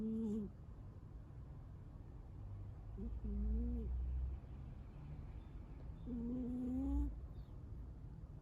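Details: Munchkin cat asleep and snoring heavily, three drawn-out tonal snores with a slight wavering pitch, about three seconds apart, over a low rumbling background.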